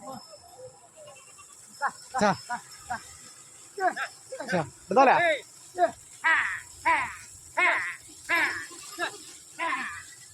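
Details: Sheep brought to a shallow spot in a canal to be bathed because they got dirty; a run of quavering bleats repeats roughly every half to one second, overlapping with sharp shouts from people herding them.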